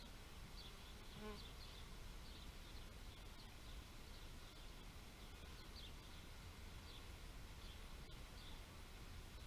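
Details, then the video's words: Constant low humming of bees, with a short louder buzz near one second and faint high-pitched chirps recurring across the background. "Bee therapy meditation nature sounds"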